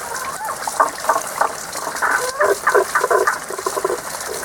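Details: Frogs hidden from view sing their seasonal mid-to-high pitched song. Short bright pulses come in uneven clusters through the clip, laid over a constant hiss of running water.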